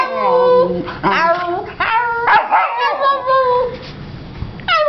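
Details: A female Vizsla puppy finding her voice and responding to her owner with warbling, yelping whines that rise and fall. A lower, voice-like sound opens the passage, and the puppy ends with a sharp rising whine.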